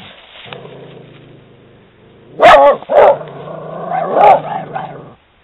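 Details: A female Italian Greyhound, reacting to seeing a horse on her walk, gives two short, sharp, high barks about half a second apart, then a drawn-out, wavering yelping bark, over a low background murmur.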